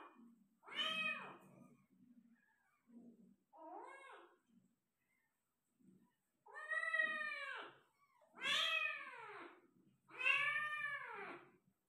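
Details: Persian cat meowing while giving birth to five kittens: a drawn-out meow, a short softer one, then three loud, rising-and-falling, harmonic-rich meows spaced about two seconds apart, separated by brief quiet rustling.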